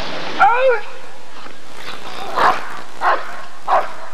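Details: At the 1994 ADRK Körung breed survey, a Rottweiler gives a brief wavering, whine-like sound, then after a pause three sharp barks spaced well under a second apart, set against low background noise.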